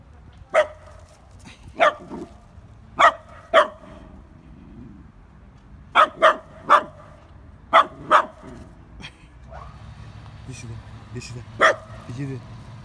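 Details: Dogs, a Dachshund and a Great Dane, in a barking exchange: sharp single barks in loose bursts, about ten over thirteen seconds, some in quick pairs, with faint whimpering between.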